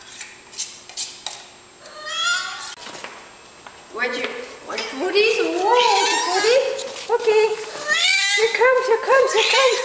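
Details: Micro, a hungry male house cat, keeps calling for his food early in the morning: a run of insistent, arching meows, some rising and some falling, repeated several times in quick succession, with clattering and household noise indoors.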